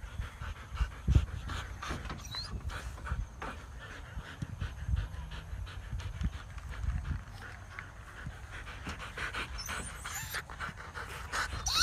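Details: Siberian Huskies running for exercise on an open field; heavy, breathy panting in quick rough bursts dominates, with low thumps of movement and scattered faint outdoor noise.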